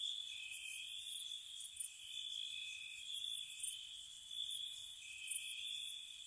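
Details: Night-time crickets in spring beside a cottage, a continuous shrill trilling chorus with a few louder high chirp bursts recurring roughly every couple of seconds.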